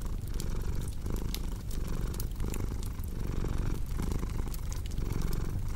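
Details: Purring house cat, a deep continuous rumble broken into rhythmic in-and-out pulses roughly every second, mixed with frequent crisp crackles of a burning fireplace.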